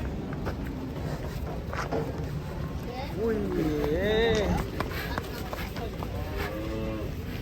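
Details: Cattle lowing amid a lively crowd: a wavering, bending moo with rich harmonics rises and falls around the middle of the clip over steady background chatter and noise.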